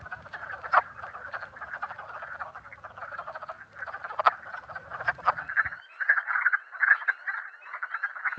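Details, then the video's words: Wood frogs calling together in a chorus, used as a quiz recording in training for anuran monitoring: a continuous mass of short raspy clucks, growing denser and louder near the end, over a low rumble that fades midway. "Oui, merci. En effet, donc celle qu'on entend la grenouille des bois. Parfait."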